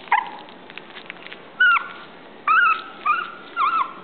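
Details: Toy poodle whimpering: thin high whines, several drawn-out and slightly wavering, coming in short bursts about every second, in a quiet room.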